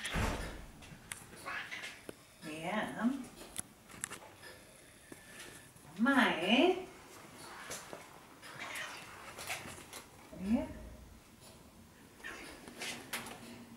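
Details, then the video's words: Alex the cat begging for food indoors: several rising, wavering meows with bright harmonics, spaced a few seconds apart, with Dutch conversation and household clatter in a small room. "Alex the Cat begging for noms"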